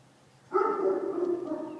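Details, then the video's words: Phineas, a dog shut in a garage, answering his name through the garage door: a single drawn-out, steady, tonal wail lasting over a second, following a voice calling his name. "Phineas barking through the garage door"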